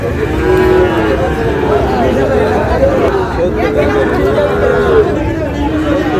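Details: Sahiwal breed cattle at a market in Narail, where a farmer buys a bull calf. Long, wavering moos rise and fall, one after another, over a dense murmur of people talking.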